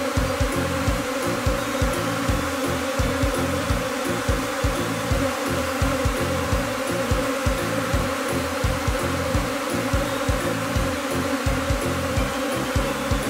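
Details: Swarming Japanese honeybee colony, a spring afterswarm gathered on a tree branch in Kinokawa, Wakayama; continuous droning buzz of many wings holds a steady pitch throughout, with regular low pulses beneath.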